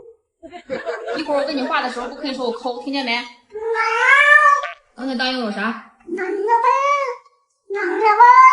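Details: Yuanbao, a pet domestic cat, indoors, gives a run of drawn-out, wavering meows, several arching up then falling, in short separate bursts, while a person talks loudly over the first few seconds.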